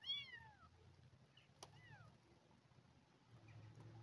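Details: Abandoned kitten fed milk replacement gives one strong falling meow at the start, then a fainter second one, followed by a sharp click and low background hum.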